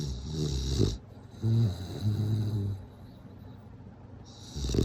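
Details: Deep guttural snores from a sleeping bulldog, a rasping exhale then a humming, fluttering inhale and a quieter gap before the next breath.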